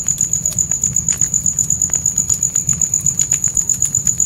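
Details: Crickets at night outside a tent with a campfire: a piercing high trill pulsing steadily about four times per second, mixed with crackling fire and a soft low rumble.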